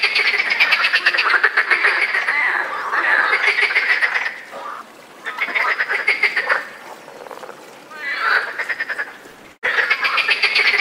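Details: European frogs croak during the mating season in loud, rapid rattling bursts, each lasting a few seconds with short pauses between.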